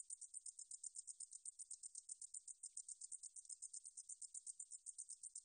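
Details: From a 2020 National Institute of Biological Resources recording in Korea, a katydid sings a continuous high-pitched pulsing buzz, beats repeating evenly around four times a second, with nothing else audible.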